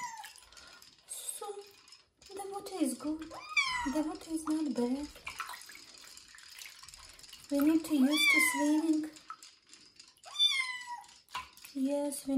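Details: Kitten Joe, a domestic kitten in his first bath ahead of moving to new owners, gives repeated short rising meows mixed with a person talking soothingly and running water.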